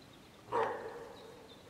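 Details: Deer hind calling her lost calf after a sounder of wild boar came between them; a single loud, abrupt nasal call that fades into a lingering tail, with quiet background.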